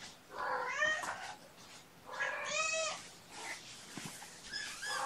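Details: Mother cat Gamora, caring for five kittens born April 14th, calls out for the babysitter, who comes in to distract the kittens; three drawn, harmonic meows rising then falling, about a second apart, with soft room noise.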